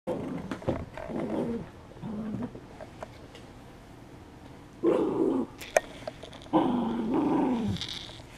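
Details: Poodle playing tug with a rubber toy indoors in March 2016; bursts of rumbling, throaty growls come in short rising and falling runs, with quiet gaps between, over faint background music and a few sharp clicks.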